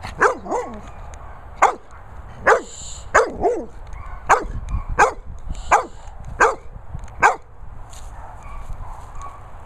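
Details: Medusa, a Staffordshire Bull Terrier, gives sharp, ringing barks roughly every second, about ten over ten seconds. Some come in quick doubles with short falling, whine-like tails. A low steady rumble sits underneath.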